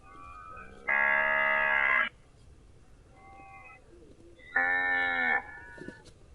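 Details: Cows lowing: two long, steady, strongly harmonic moos, each over a second long and even in pitch, separated by a short gap with fainter calls. A brief knock follows at the end.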